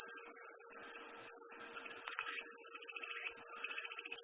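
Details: Cicadas sing in an unbroken, piercing, high buzz that dips briefly in loudness, over a layer of faint lower chattering pulses.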